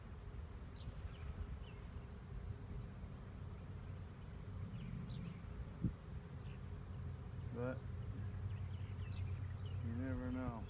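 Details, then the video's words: Swarming honey bees from 2019, heard as a continuous low buzzing drone beneath a beekeeper's activity; brief high chirping calls from other birds and a man talking appear over the hum. "Honey Bee swarm"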